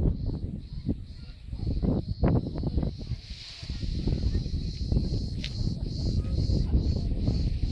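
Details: Cricket that has been caught and is being held, heard up close. High, thin chirps repeat steadily about every 0.4 seconds over loud, low rustling and handling noise.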